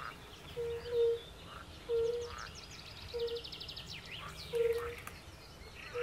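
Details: Forest pond chorus featuring European fire-bellied toads and pool frogs: a few soft, short hoots spaced irregularly, mostly masked by loud rattling trills and chatter from other frogs.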